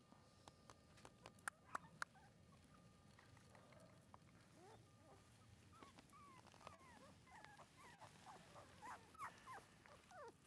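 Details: Female red Shiba Inu pup, about one month old, recorded 24 January 2012: after a few sharp knocks early on, a series of thin, rising and falling whines builds over the last five seconds against quiet room noise.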